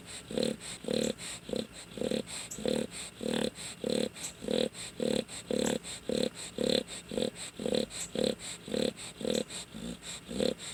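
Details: A sleeping dog snoring in a steady, fast rhythm of about two short, buzzy, nasal breaths per second. Each breath is a tonal burst, with faint hiss between the breaths.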